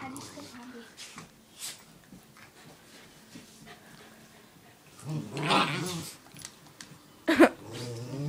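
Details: Two pet dogs, Shadow and Stratis, a Miniature Doberman and a Norwegian Elkhound, wrestling in play indoors; low rumbling growls come in short bursts, with one sharp loud snarl near the end, while a person speaks and encourages them.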